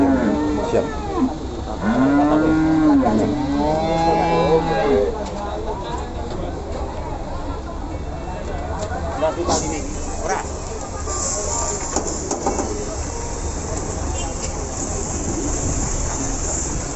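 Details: Simmental cattle being traded at Pasar Pon market in Ambarawa give a few short, arching moos in quick succession at the start, then market hubbub, talk and a hiss take over.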